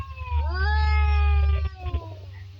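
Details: A fight between two cats brings a sustained moaning yowl that climbs at the start, then slowly sinks and fades. A deep background hum and a few soft knocks are also heard.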